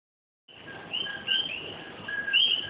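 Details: A night chorus of common coquís (Eleutherodactylus coqui) in Puerto Rico, with overlapping high whistled two-note calls.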